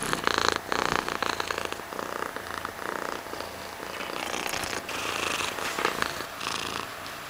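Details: Mysli, a cat, purring steadily; a rhythmic rumble swells and fades with each breath, with some light rustling over it.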